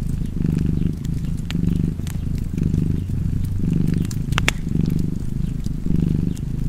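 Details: Low, vibrating purr of a domestic cat in rhythmic breath-length pulses, set against the crackle and occasional sharp snaps of a fireplace.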